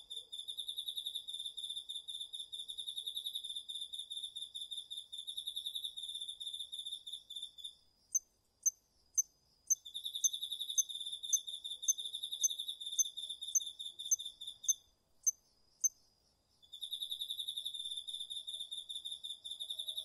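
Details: Crickets and other autumn insects in a home garden field at night, DR-40X recording; bursts of fast high-pitched pulsed trilling lasting several seconds, separated by gaps filled with loud, sharp, evenly spaced single chirps.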